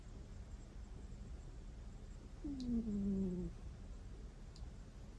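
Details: Pet house cat asleep indoors, snoring: a single squeaky, whistled 'kuu' note that slides downward over about a second against a quiet room hum.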